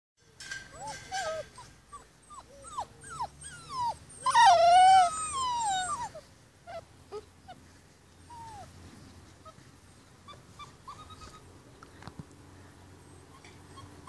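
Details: Rhodesian Ridgeback puppies on day 44, lounging outside after dinner before being taken in for the night; a run of high whining whimpers and yips sliding up and down, swelling into a louder cluster of overlapping cries, then fading to a few soft whines.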